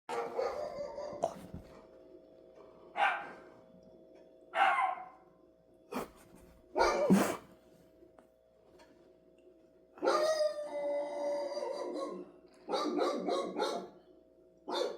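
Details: Dog barking indoors in short bursts spaced a second or two apart, several barks run together near the end, with a steady low hum in the background.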